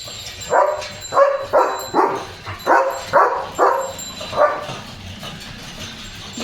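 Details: German Shepherd barking non-stop at a passing bullock cart in the evening: about eight deep, harsh barks in an uneven quick series, then fading to a low background hum.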